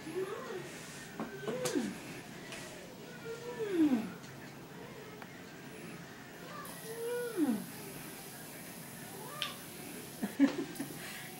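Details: Sidney, a dwarf Maine Coon kitten, with other household cats: scattered short meows that drop sharply in pitch, spaced several seconds apart, against quiet room noise and occasional soft human voices.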